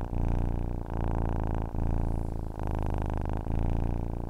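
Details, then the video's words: Cat purring as a sleep aid, a deep continuous rumble that swells and breaks roughly every 0.8 to 0.9 seconds, breath cycles clearly marked, quiet background. "Ronronnement d'un chat pour s'endormir / Purring of a cat to fall asleep"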